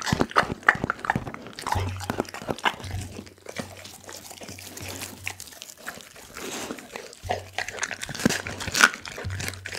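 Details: Doggy, a pit bull, crunching a whole chicken, recorded with an Insta360 ONE R camera: separate loud cracks of bone between quieter stretches of chewing, with a low electrical hum coming and going.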